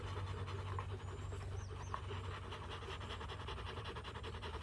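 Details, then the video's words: Several Rottweilers resting after a fight, day 59, breathing in quick rhythmic pants. A couple of short squeaky sounds cut through around the second mark, over a low steady rumble. "Rottweiler Family after fighting"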